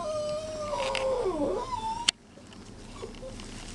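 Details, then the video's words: Whining chihuahua puppies: one long drawn-out cry that slides downward and wavers before lifting again, ending at a sharp knock, followed by quieter room hum and a faint short squeak. "puppies chi"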